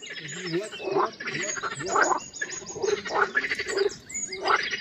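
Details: Several frogs croaking at a lily pond in their mating season on a warm sunny day: rhythmic grating croaks roughly once a second over a steady chorus background.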